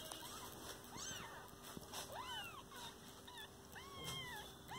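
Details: Kitten with its mother cat, kept indoors as a pet, giving thin high rising-falling mews about once a second, with a steady electrical hum underneath.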